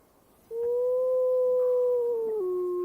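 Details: White female gray wolf howling in Yellowstone National Park while another wolf follows her: one smooth, sustained, pure-toned howl that rises slightly, holds steady, then drops abruptly to a lower pitch near the end.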